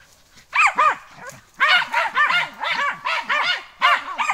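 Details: A German hunting terrier gives sharp, high, arched barks in quick, uneven bursts, some doubled, during a training day on wild boar.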